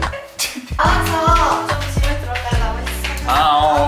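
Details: Loud pop-style music with a sung vocal line over a steady beat fills the whole stretch, and no animal sound comes through.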